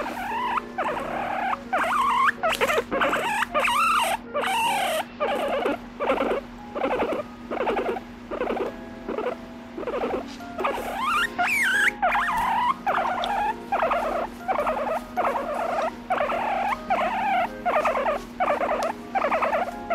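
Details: Guinea pig over three years old squeaking with a complaining tone while sleeping, like a human baby; repeated trembling squeak bursts roughly every second, some sliding up and down in pitch, steady hum beneath.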